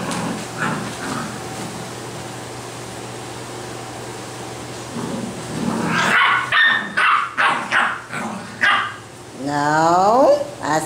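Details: Basset Hound puppies in Brazil give a quick run of short, sharp yapping barks, ending in a drawn-out whine that slides downward, after several seconds of steady background hum.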